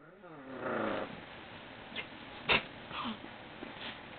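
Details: Labrador Retriever and a Papillon playing together: a rough, rising growl-like sound at the start, then scattered short snorts and scuffling noises with faint background hiss.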